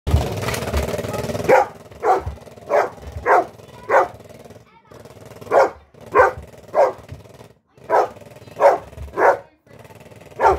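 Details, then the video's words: Golden Retriever named Blu, frightened of a shaky Halloween pumpkin toy, gives short sharp barks in uneven bursts of two or three after an opening of mixed noise and a voice, about a dozen barks in all. "Golden Retriever scared of halloween toy"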